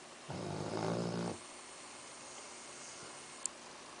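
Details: Axel, a sleeping Labrador Retriever, lets out a single rumbling snore of about one second early on. Low room noise fills the rest, apart from a brief tick.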